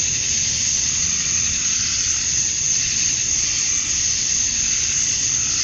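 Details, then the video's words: Continuous high whining buzz from many male cicadas at dusk on a summer night in Georgia, USA, chirping to draw females; the hiss pulses slightly in strength, over a quiet low rumble. "Cicadas at Dusk, Summer Night"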